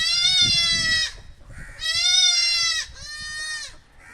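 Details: Goat kids calling, heard by a puppy for the first time: three strong, quavering, nasal bleats of about one second each, closely spaced, with low background rustling between them.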